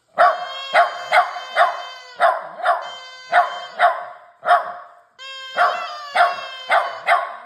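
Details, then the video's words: Howling puppy in practice: a run of quick yelping notes roughly every half second, briefly giving way to sustained tonal howl segments before the yelps resume. "Howling puppy"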